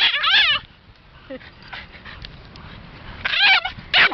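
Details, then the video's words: Boston Terrier dog crying: a loud, high, wavering whine with quavering harmonics opens, then near silence with faint rustling, then two more short, bright whining cries close it. "funny cute dog crying"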